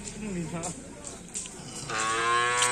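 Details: Madura cattle at karapan sapi bull race training at the Asemanis field. The clip opens with shouting and voices, then ends in a steady, low, drawn-out moo of nearly a second with rich harmonics.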